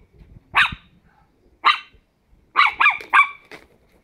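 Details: Ten-week-old Chihuahua puppies at play indoors give high, sharp yapping barks: two single barks, then a quick cluster of three to four, with faint growls between.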